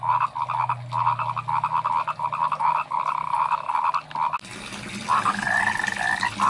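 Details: Frogs in rice fields call in a dense chorus of rapid, pulsed croaks around a steady mid pitch.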